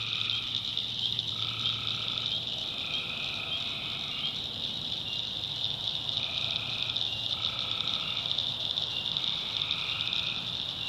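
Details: Night chorus of tree frogs in swampy North Carolina backwoods, with buzzy one-second trills rising and falling in overlapping waves while crickets keep up a constant shrill hum.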